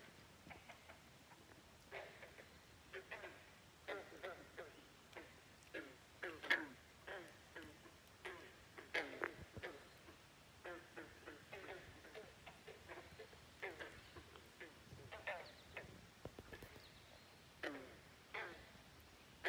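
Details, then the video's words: Non-stop frog chorus at Great Falls National Park, McLean, Virginia, with many overlapping short, clucking croaks rising and falling in dense uneven succession and no pause in the calling. "Frogs Croaking at Great Falls National Park in McLean, Virginia. Non-stop croaking"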